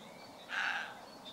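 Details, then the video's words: Roe deer buck barking back at a man imitating its bark: one short, hoarse, harsh bark of about a third of a second, over quiet outdoor background noise. "Blaffende reebok"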